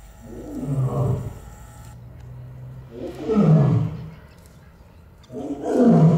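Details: Captive Barbary lion at Olomouc Zoo, Czech Republic, giving deep, drawn-out moaning roars that swell and fade, three long bellows spaced about two to three seconds apart, with a low hum in the background.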